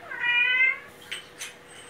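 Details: Domestic cat, a rescued male kitten, meowing while his owner talks to him indoors: one drawn-out tonal meow lasting about two-thirds of a second, followed by faint soft clicks and rustles.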